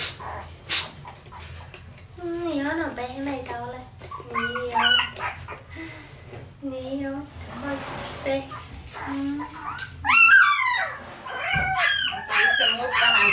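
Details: Parson Russell Terrier puppies in Tampere, Finland, recorded on a Sony FDR-AX100 camcorder; high wavering whines and squeaky whimpers rising and falling, several overlapping, with brief human speech and small-room handling noises.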